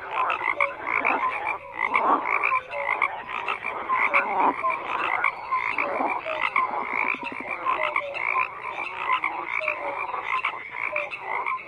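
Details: Many frogs call at once, a busy wall of grating croaks mixed with quick clicks and short piping notes, swelling in repeated waves without pause.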